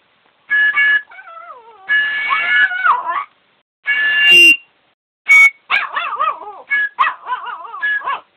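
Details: Yorkshire Terrier singing along to music, giving wavering, sliding howls that rise and fall in pitch between loud, steady musical blasts with a few short silences.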